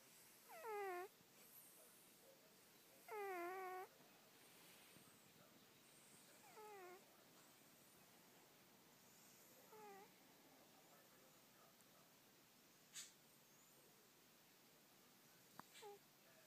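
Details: Snoring pet cat asleep and dreaming: a run of nasal, downward-sliding whistly squeaks on each breath, every three seconds or so, fading quieter toward the end, with faint clicks.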